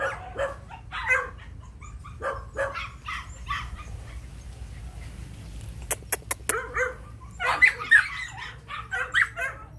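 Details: Phu Quoc Ridgeback, a muscular yellow female nearly six months old, kept at a kennel in Saigon and praised as a rat killer; short barks come in quick repeated bursts, with clicks midway and people talking and calling her.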